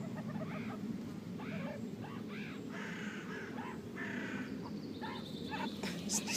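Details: Young meerkats at Neunkirchen Zoo squeaking; a run of short, high, repeated chirpy squeaks through the clip over a noisy background of visitors and low rumble.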